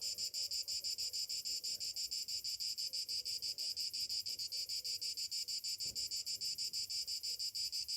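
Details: High, rhythmic cicada buzzing on a summer morning, beating steadily about five times a second, over faint low whistled notes and a brief soft thump midway.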